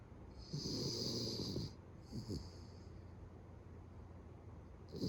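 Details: Beagle kept as a house pet, snoring loudly enough to resemble a man; a long raspy breath of over a second, then a shorter one, then a third starting at the end.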